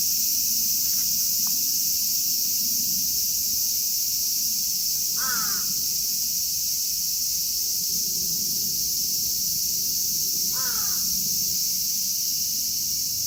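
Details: Cicadas (Platypleura kaempferi, Graptopsaltria nigrofuscata, Hyalessa maculaticollis) in Kitatama District, Tokyo, Japan fill the air with a steady, high, hissing buzz, broken twice by a crow's harsh caw.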